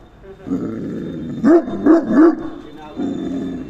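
A Great Dane gives three deep, gruff barks in quick succession, about two per second, with a low rumbling growl or murmur before and after.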